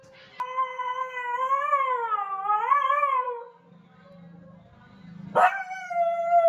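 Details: Siberian husky named Nasi howling indoors: a long wavering tone with rich stacked harmonics, rising and dipping in slow waves for about three seconds, then a pause with a low hum before a second howl starts abruptly.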